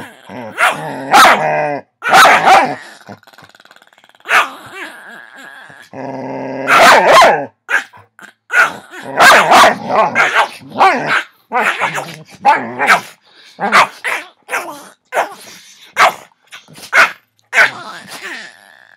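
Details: Two pet dogs, Noah and Avery, wrestling in play on a Saturday afternoon, not really fighting: dense bursts of growls, grumbles and short barks in rapid succession, loud throughout with brief pauses.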